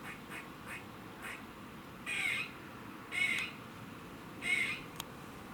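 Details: Squirrel warning noise recorded in Cambridge, UK, 27 September 2019, 3:16 pm: three rough, buzzy drawn-out rasps spaced about a second apart, preceded by soft quick clicks and one sharp tick.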